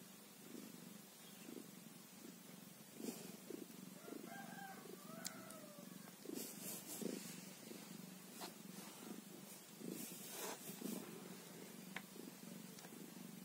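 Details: Quiet low purring from a day-old kitten, its soft rhythmic rumble carrying on under brief thin squeaky notes midway and scattered clicks and rustles.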